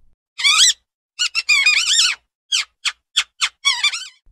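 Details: Mouse giving high, thin squeaks: short bursts that bend up and down in pitch, some with a wavering, chirpy quality, spaced irregularly with brief silences between them.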